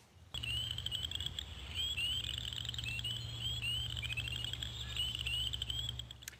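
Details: Chorus frogs give rising, rasping trills in spring, each like a thumb run over a comb's teeth.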